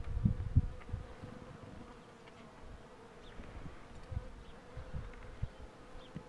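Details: Honey bees droning as the queen box is pulled: a steady low hum holds throughout, overlaid by a few dull low thumps and rumbles from handling near the start.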